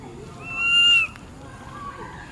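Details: Berry, a very small baby monkey, cries loudly for mom: one strong, high whistled wail, slightly rising then cut off sharply, followed by quiet background noise.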